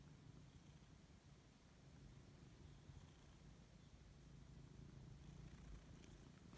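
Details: Siberian cat purring steadily while waking up and enjoying being stroked indoors; a continuous low, rumbling purr with gently rising and falling intensity, no other clear sounds.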